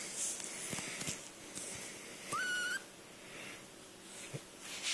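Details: A pet male fennec fox, excited rather than hurt, lets out a single thin, whistle-like scream that leaps up in pitch and holds briefly before cutting off, with soft clicks and faint room hiss indoors.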